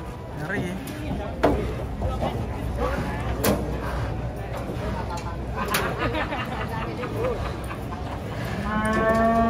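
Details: Angry cow coming down off a truck during unloading; people call out warnings over music and handling clatter, then a long low moo swells up at the very end.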